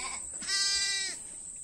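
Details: Young lamb bleating on a farm while being offered a bottle it keeps refusing; one steady, buzzy, strongly harmonic bleat lasting about half a second, with a man speaking softly nearby.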